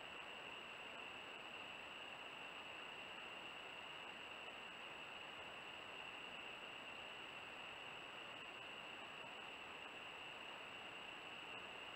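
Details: Steady hiss with constant high-pitched electronic tones throughout and no animal voice.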